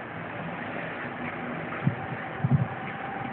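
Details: Steady wind and vehicle-like rumble with a few dull knocks; no animal calls.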